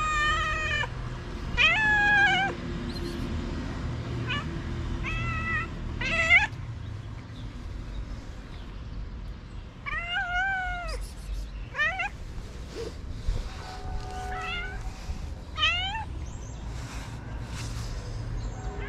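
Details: Repeated pleading meows from a stray cat wanting food in Morocco at dawn: short rising-then-falling cries in bursts, with quieter gaps between and a steady low outdoor hum beneath.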